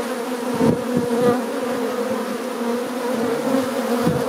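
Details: Western honey bees, brown Apis mellifera mellifera, busy at the hive entrance: an unbroken, even buzzing drone from many wings, with faint passing surges of individual flyers.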